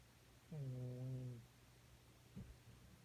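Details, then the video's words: Sleeping cat, about thirteen years old, passed out on a beanbag after demanding butt pats all night: a single low, tonal, buzzy snore lasting about a second, then a faint short breath in a quiet room. "고양이 코골이"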